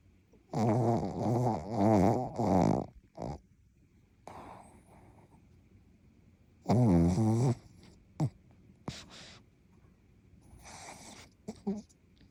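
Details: Asleep and snoring, the female Pekingese × Shih Tzu cross Rupa-chan gives several bursts of rough, rumbling harmonic snores, first a run of three, then a longer one, separated by quiet breaths, soft snorts and brief clicks.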